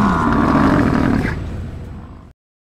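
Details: A North American bison gives a deep, rumbling bellow that fades away over about two seconds.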